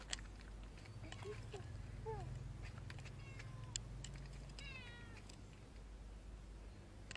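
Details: Cat in a motorbike parking lot, afraid of human touch, shying away as someone approaches; a few soft, short mews with curving pitch, one faint falling cry near the end, set against a low steady hum and scattered clicks.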